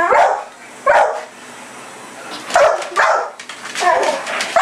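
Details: Pit bull chasing a red light in the yard at night gives loud, rough barks in uneven bursts, some close together and others after longer pauses, over quiet night background.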